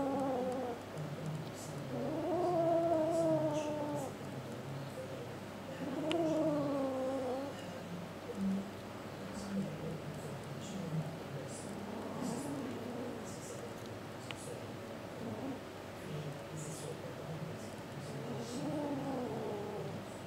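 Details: Kitten murmuring and refusing to share a sock with another pet; soft, wavering mid-pitched growly murmurs in drawn-out phrases every few seconds over a steady low hum and quiet background hiss.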